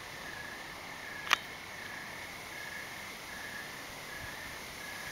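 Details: Crickets at night under a cloudy evening sky, giving a faint, steady high trill broken into short pulsed bursts, with one sharp click partway through.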